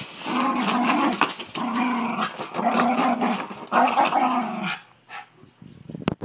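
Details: A Miniature Schnauzer playing basketball and going nuts gives long, rumbling growls in four steady bursts, then a few soft thumps.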